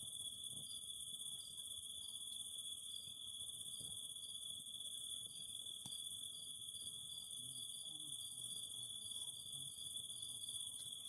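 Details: Cicadas singing with a fire: an unbroken shrill drone, rapid series of short chirps in the second half, and a few sharp crackles from the fire.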